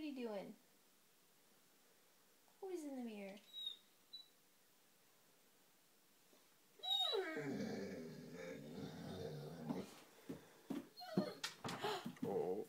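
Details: Five-month-old Great Dane puppy named Tom, playing at a mirror indoors before bed, gives two short high whines that slide downward. Later a person talks and laughs over scuffling, with brief music.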